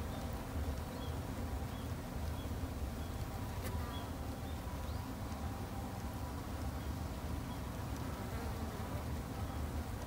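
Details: Japanese honey bees kept by a beginner garden-side beekeeper two months into beekeeping for conservation; a steady low droning hum of many bees runs throughout, dense and unbroken, with faint higher hiss above.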